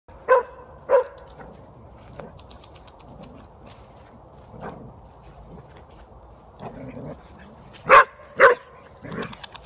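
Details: Archie, an Australian Shepherd and border collie mix dog, confronting a groundhog on 18 September 2018; short sharp barks come in scattered bursts, a pair at the start, one midway, then a closer trio near the end, with quiet gaps between.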